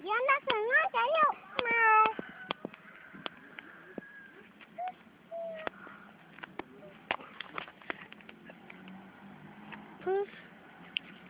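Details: Playing pet cat meowing in a quick burst of several bent, wavering calls in the first two seconds, then mostly children talking and scattered knocks, with one more short meow near the end.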